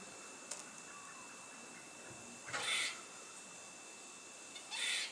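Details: A squirrel on top of a fence curls its tail and gives harsh, raspy calls in two short, rough outbursts a couple of seconds apart.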